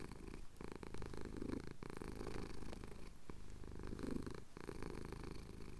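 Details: Male pet cat purring as his chin is scratched during a Cotswold sunrise; soft low rumble, quieter and partly masked by a broadband hiss and occasional handling noises.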